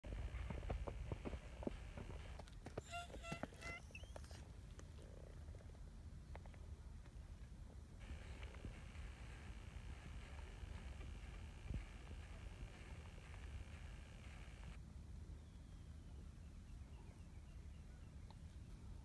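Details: A small stray calico cat yawns and gives a brief, high meow of greeting over a steady low purring rumble.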